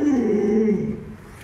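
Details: Luoluo, a pet Alaskan Malamute, gives a short tonal whining howl that slides gently downward, loud at first, then fading after about a second.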